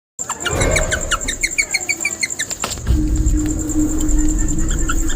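A guinea pig gives a quick run of short, high squeaks, several each second, over a steady background hum.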